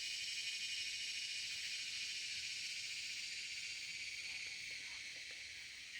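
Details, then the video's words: A cicada's loud, continuous buzz: a dense, high, sizzling drone with no breaks. It fades very slightly toward the end. "CICADA is making a loud noise"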